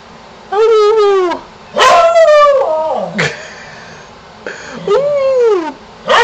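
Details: Domestic dog howling and barking at a contractor nearby, urged on by its owner; three long, quavering, richly harmonic howls that rise then bend downward, separated by a quieter gap, ending with the start of another howl.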